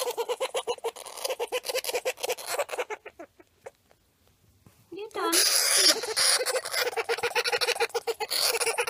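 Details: Pet hamster Banjo screaming: choppy raspy squeals in quick succession fade to near silence for about two seconds, then burst into a louder, sustained harsh shriek with grating pulses to the end.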